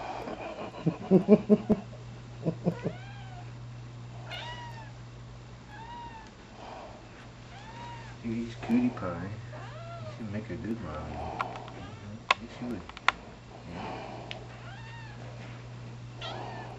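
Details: Seven-month-old rescue Bombay-type cat Penny, practicing being a mommy with squeaky toys indoors, gives a run of short arched meows about every second, some faint and high, alongside a woman's voice, clicks and a low hum.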